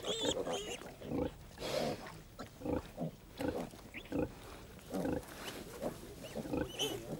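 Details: On a farm, piglets about 15 days old, eagerly awaiting suckling from the sow, squeal and grunt in short, uneven bursts every second or two, with a narrator's voice running over them.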